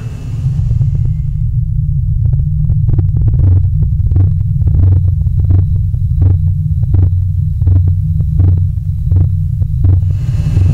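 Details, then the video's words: Blue whale call with its harmonic near 30 Hz, heard as a deep, steady rumble with faint clicks and ticks scattered above; a long-distance call thought mostly to mean "I'm here" or "where are you". "that's actually a blue whale call."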